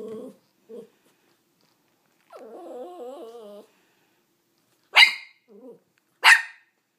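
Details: Dog named Auggi wanting the rawhide another dog, Greta, is chewing; tonal whines and a wavering whimper, then two sharp barks with a short whine between, indoors.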